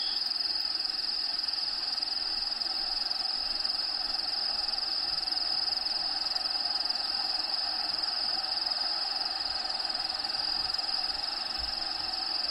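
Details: Inside an actual vivarium with Diego the bearded dragon, crickets keep up a continuous shrill, even-pitched trill that never pauses, layered over faint broadband background noise.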